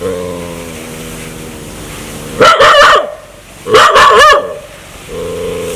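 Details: Dog aggressively wanting to bite people: a low droning growl, two sharp clustered barks, then the growl resumes.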